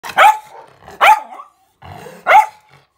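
A miniature schnauzer gives three sharp, high barks spaced about a second apart.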